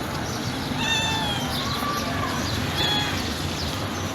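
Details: Gentle white stray cat found by the garbage near a building, with yellow eyes and a yellow tail, utters two soft, brief, bending mews about two seconds apart against a constant hiss of background noise.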